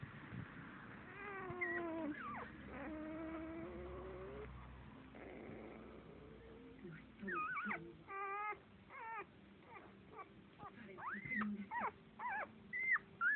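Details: Seven-day-old Standard Poodle puppy, sleeping, making quiet, high squeaks and short whines that bend up and down in pitch, coming in irregular bursts over faint background hum.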